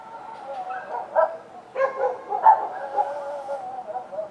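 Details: Street dogs at night giving muffled overlapping barks and drawn-out whining tones, with several louder yelps clustered in the middle of the clip.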